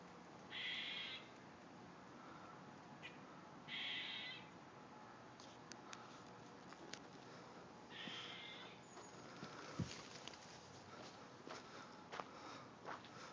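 A squirrel gives harsh, wheezy, crying calls, each about half a second long, spaced a few seconds apart.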